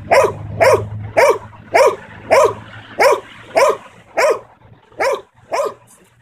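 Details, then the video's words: Belgian Malinois aged nine months barks on command in a training session: ten strong, regular barks about every half second, steady in loudness, over a low background hum. "bark on command, dog training with 9 month old belgian malinois"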